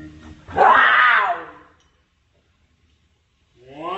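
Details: Fighting cats: one loud, drawn-out harmonic yowl that swells and bends over about a second, then silence, and a second wailing cry rising at the end.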